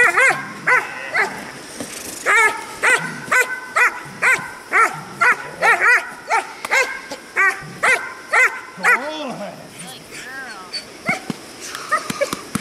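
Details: Chalki von IBSO, a 6-month-old German Shepherd from Yogy Policia-Slovakia and Izabela Amarcord, barks during protection training. Rapid, harsh barks come about twice a second in steady bursts, turning into a few thinner whining yelps near the end.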